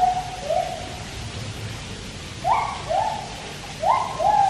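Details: White-handed gibbons singing at Taipei Zoo: clear whistled notes sliding up and down, repeated in short bursts, over a steady background hiss like rushing water.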